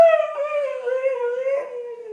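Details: After a Sunday in the yard and a visit from Granny, Gracie sings out in a long wavering howl that dips and rises several times over two seconds and stays steady in pitch overall.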